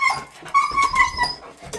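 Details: Jindo dog in a small room pleading to go out with its owner, who agrees to take it; thin, high tonal whimpers held level then dipping, repeated in short bursts with faint background rustle.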